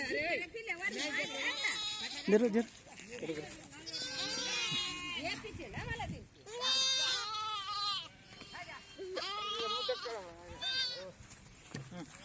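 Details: Sheep being given the PPR vaccine by a Gopala Mitra livestock worker, several animals bleating in overlapping, wavering harmonic cries throughout, with loud people talking over and between the calls.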